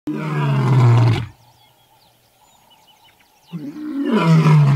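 A lion gives two deep, rumbling roars separated by a quiet pause.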